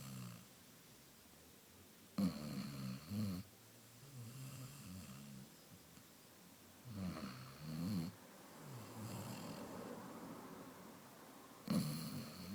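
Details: Amaya, a sleeping Basset Hound, snoring: low, rough, grunting snores in short bursts at irregular intervals of several seconds, some bursts holding two snorting pulses, over a steady low background hum.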